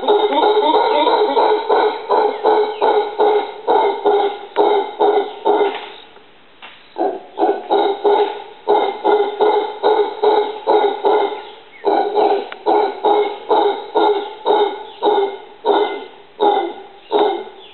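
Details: Howler monkey in a tree in a yard in Costa Rica gives deep, hoarse barking grunts in a steady run, about two or three each second.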